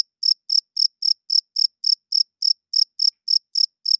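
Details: Cricket at night making the male chirp used to attract females and establish territory. After a brief silent start, about thirteen crisp, piercing chirps follow at an even, rapid pace in a quiet setting.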